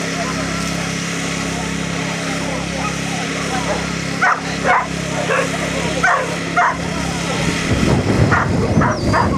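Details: Small Munsterlander named Bodi at the KCI Agility Festival 2010, Day 2 standard class runs: a series of short sharp barks, several in quick succession midway, over steady crowd chatter and hall noise, with a rumble of movement near the end.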